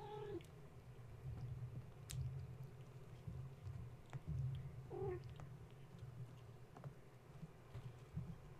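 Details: Gaia's kittens, roused at bedtime when a space heater was plugged in, romping around the kennel. Two quick, short mews, one at the start and one midway, among soft knocks and rustles over a continuous low hum.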